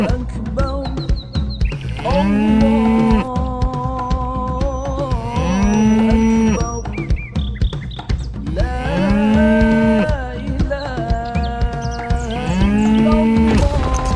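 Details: Qurban sacrificial cattle low repeatedly: four long, rising-then-falling bellowing moos about every three to four seconds, laid over constant background music.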